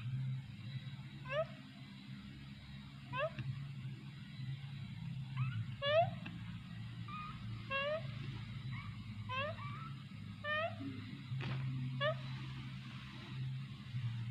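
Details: A kitten gives a string of short, high mews, about ten across the stretch, each a brief harmonic cry spaced a second or two apart, over a steady low humming background.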